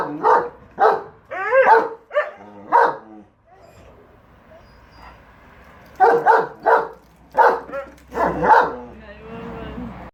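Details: Two pet dogs, German Shepherd Enzo and Siberian Husky Shira, debate the lawn mower with bursts of rapid, gruff barking yips, a quiet pause, then another run of short barks ending in a faint whine.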